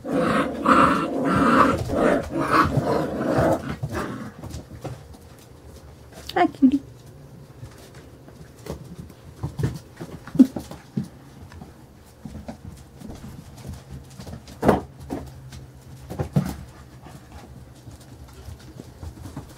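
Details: Carolina Dog puppies, five weeks and four days old, playing together: a noisy burst of scuffling and human voices at first, then scattered low growls, thumps and a couple of short, thin rising yelps.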